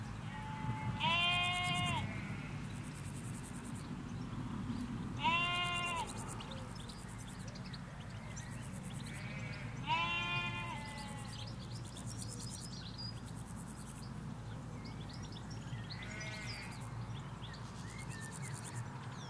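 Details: Flock of ewes and lambs in a Hampshire field, stereo recording along a hedge away from the road: four loud, quavering harmonic bleats spaced about four to six seconds apart, over a low rumble with light birdsong above.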